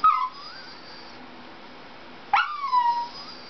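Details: Dixie the Dachshund whines at a Toyota chase commercial: two sharp, high-pitched cries about two seconds apart, each bursting out then trailing into a drawn, slightly wavering descending whine, with faint room hum between them.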